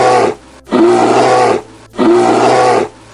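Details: Bear growling as a warning, made when feeling threatened or sometimes when playing; a rough, drawn-out roaring growl with tonal undertones, heard twice, each lasting over a second, with a short pause between.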